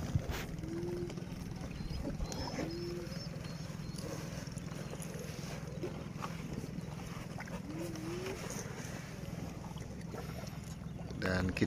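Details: A swamp buffalo in Southeast Asia, with horns unlike the others', chews grass, making a steady run of crisp, crunching "kriuk-kriuk" crackles over a low rumble.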